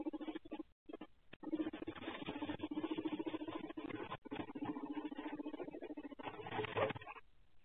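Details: Guinea pigs kept in a tank enclosure, active in the dark after lights out and recorded by a Ring night-vision camera, give a rapid, low, pulsing purr-like rumble that runs for several seconds, broken by brief gaps and a louder scuffling burst near the end.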